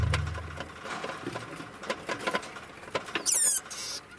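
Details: Mother degu, four years old, running on a wheel while her one-year-old daughter plays alongside. Rattling, clicking wheel noise throughout, then a brief high, bright chirping squeak near the end.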